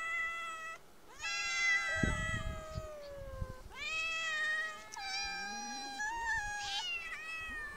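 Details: Street cats meowing: long, nasal meows that start high and slowly fall, separated by brief pauses, with a rustling bump in the background and a fainter second voice.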